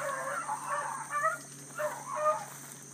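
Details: ['Bluetick coonhounds running a big rabbit early on a July morning in 2012, a new pup among the pack; distant, echoing bawls with rich harmonics rise and fall in two loose bursts over steady background hiss.']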